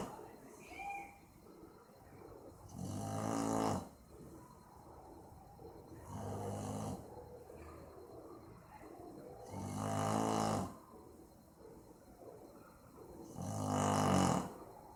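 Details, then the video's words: Maizena, a sleeping Boxer dog, recorded indoors on 18/04/2015, snores in four deep rasping, harmonic bursts, each about a second long and spaced roughly three to four seconds apart, with quiet breathing in the gaps. "Meu Boxer dormindo e roncando - cachorro roncando"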